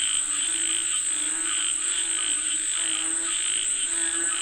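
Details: Frogs calling for rain: a dense chorus of overlapping croaks with pulsing harmonic tones, beneath a steady high-pitched insect-like whine that runs throughout.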